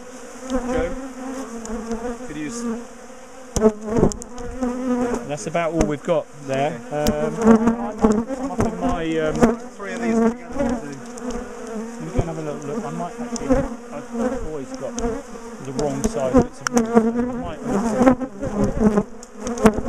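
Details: Defensive bees from a big top bar hive colony being split and moved in a garden; a thick, fluctuating chorus of wingbeat buzz with bees whizzing past, punctuated by repeated knocks and clicks of hive bars.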